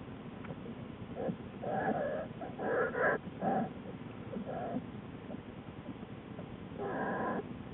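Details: Lily the American black bear in her winter den with newborn cubs, February 2013: short harmonic cub squeals and whines in bursts, some louder wavering cries, over a steady low rumble.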